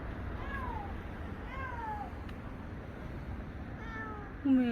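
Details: Stray tuxedo cat, an affectionate street cat met on a busy walkway, crying repeatedly: drawn-out falling meows about every second and a half, ending in a louder low wail, over dull street rumble.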